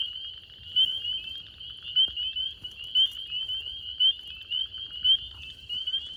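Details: At night in northern Georgia, USA, a dense chorus of spring peepers: countless high, sharp peeps overlapping into a continuous shrill ringing.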